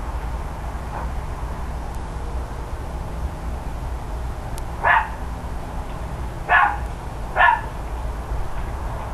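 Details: Neighbours' dogs barking loudly on a mid-October morning, heard from a distance: three short, sharp barks in the second half, two close together near the end, over a steady background hum.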